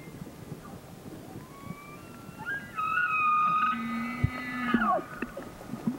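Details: Bull elk bugling in mating season: a high whistled tone with stacked overtones and a lower growling layer, held for about two seconds before sliding down at the end; faint background rumble.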